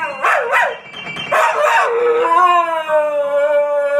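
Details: Pet dog singing along while a piano plays a little ditty, a habit she prompts by banging her head on the keys; wavering howls slide down, then a long steady tonal howl holds with rich harmonics.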